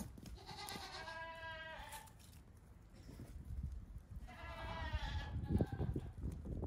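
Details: Two-week-old goat kids out for a brief morning romp on a farm give two clear, tremulous bleats, one from one to two seconds and another near four to five seconds, followed by low thumping and scuffling.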